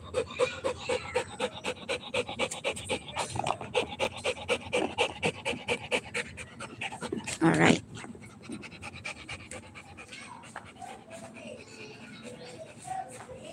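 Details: Rottweiler puppy at play panting quickly for about seven seconds, a loud rustling burst near the middle, then quieter breathing with faint whimper-like tones.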